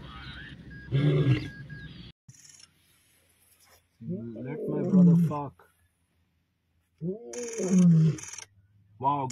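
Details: Rival male lion coalitions clashing on 29 December 2023: a man's voice opens, then two long, deep, throaty roaring growls with strong harmonics follow about three seconds apart. Brief rustling and clicks sound between them.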